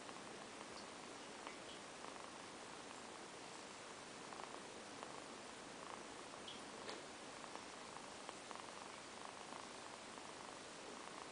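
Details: Kittens Amber and Zafir dozing indoors after playing hard, purring quietly; faint rhythmic purr pulses recur through the recording beneath a steady hiss, with a few tiny clicks and rustles.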